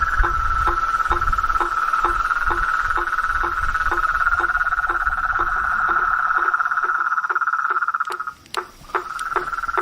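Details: Blacksmith tree frog in a swamp at night: short knocking notes repeated about three times a second over a steady high insect drone that breaks off briefly near the end.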